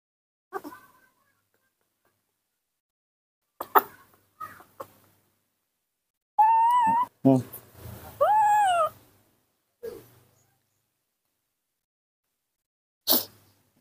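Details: Baby monkey raised by hand, calling in the morning when it wants to drink milk: a few soft taps and clicks, then three loud, wavering, whiny cries rising and falling in pitch, with brief human voices nearby indoors.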